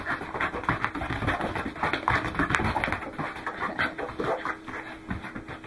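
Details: Goro, a Welsh Corgi, out running on 12 December 2010, huffs in quick rhythmic breaths, about three to four per second, with scuffing footfall sounds and a few sharper clicks mixed in.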